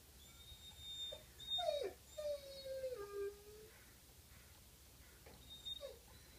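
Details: Coyote recorded on April 25: a short falling note, then a long wavering howl that slides slowly downward for over a second, followed by brief yips, with thin high bird chirps in the background.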